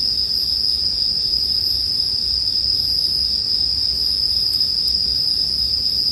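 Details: Bell crickets ringing beside a crackling fire: one sustained, bright, high tone without breaks, a couple of soft snaps late on, and a faint deep rumble beneath.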